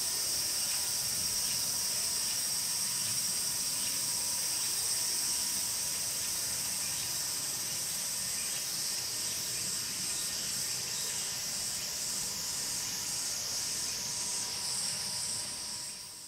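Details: Tsukutsuku-boshi cicada (Meimuna opalifera) song from start to finish of calling: a steady, very high, shimmering buzz with faint rhythmic pulsing that grows more patterned near the end, then fades away in the last seconds.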